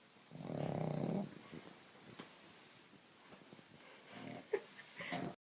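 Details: Pug asleep, giving one strong low rasping snore near the start, then softer snuffling breaths and a faint second snore, with light rustling in a quiet room.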